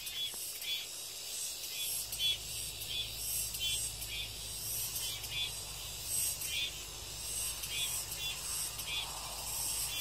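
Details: Continuous shrill cicada drone, a thick high hiss with faint rhythmic flickers throughout and low rumbling background noise.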